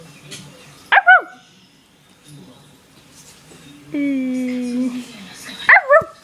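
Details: Pet dog at home, a little talker that often howls and barks: two short bright yelping barks that fall in pitch, separated by a longer level, droning whine-like tone, with a person murmuring quietly in the room.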